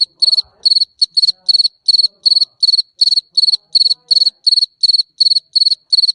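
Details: Cricket chirping steadily: high, pure, pulsed chirps of about four or five quick pulses each, repeated nearly three times a second with short even gaps and no other clear sounds.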